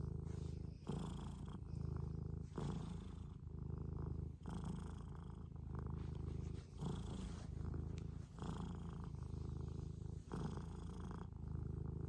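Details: Scottish Fold cat purring: a continuous low rumbling throb with steady pulses, rising and falling in roughly one-to-two-second breath cycles, with faint breathy hiss between phases in a quiet indoor setting.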